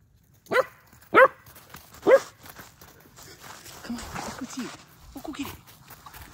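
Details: German Shepherd puppy, a female, scared of a fake deer, giving three sharp barks in the first two seconds, then quieter whimpering yelps amid a woman's coaxing speech.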